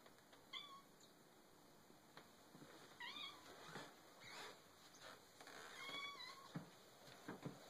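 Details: A pet cat meows while asking for food indoors: several short, faint mews, some rising then falling, spaced about one to three seconds apart, with a steady high electronic whine and light clicks and rustles behind.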